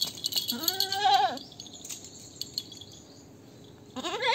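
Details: Goat giving a long quavering bleat that rises then falls, followed by a rattling, clattering pause and the start of another wavering bleat.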